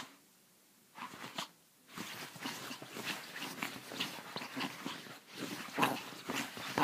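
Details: Pepito, a Chihuahua called crazy, yaps and snarls in a dense run of harsh, broadband bursts after a short quiet start, the sounds tumbling irregularly about once a second with rougher peaks near the end.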